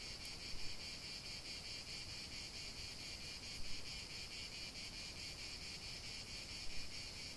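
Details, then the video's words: Cicada song filling a natural soundscape: a bright, sustained electric buzz with faint regular pulsation and a couple of short, slightly louder surges. "chant des cigales"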